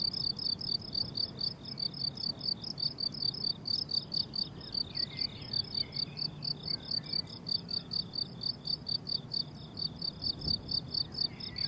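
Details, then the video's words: Chorus of crickets on a blooming summer meadow, a continuous string of high, regular chirps pulsing several times a second, with faint bird calls and a gentle low wind rumble underneath. "Relaxing Cricket Sounds on a Summer Meadow"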